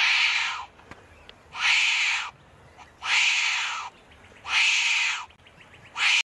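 A common wombat gives harsh, hissing rasps, each about half a second long, repeated steadily.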